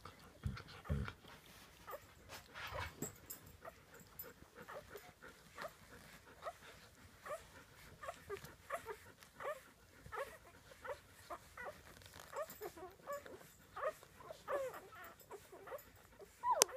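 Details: Samoyed puppies eating their first dinner, a busy litter making soft repeated whimpers and squeaks amid continual clicking and lapping sounds.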